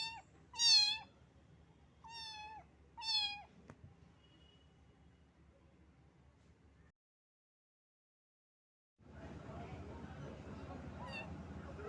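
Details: Kitten soaked by rain and shaking from cold cries three clear meows in the first four seconds, each a high note dipping then falling, followed by quiet, a brief gap and rustling handling noise.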